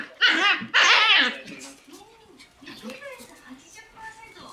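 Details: Shiba Inu puppies in a group with a black Shiba give two loud, shrill, strained yelps, then softer whines under a person talking.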